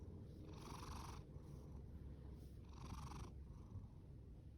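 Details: Loud snoring and purring from Fasu, a male orange tabby rescue cat born in October 2019: a continuous deep purr with two breathy, hissing snore breaths about two seconds apart.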